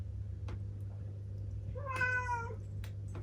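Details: Ciel, a black female house cat aged seven, gives one short meow that swoops up and then holds level for about half a second, with a steady low hum and a few soft knocks around it.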